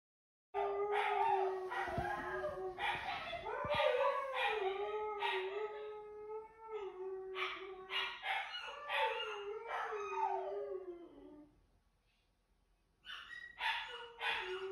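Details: Two Siberian Huskies howling together at about 6 a.m.: long, wavering tonal howls overlap, one voice steady and the other rising and falling. They pause briefly near the end, then the howling starts again.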